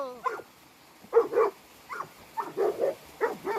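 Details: Boerboels active on a river outdoors in nature: a brief whine opens, then several short, gruff barks and yips, often in quick pairs, spaced irregularly over three and a half seconds.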